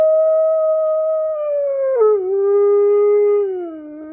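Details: A giant Alaskan Malamute howls with coyotes: a long, steady howl that breaks and drops to a lower sustained note.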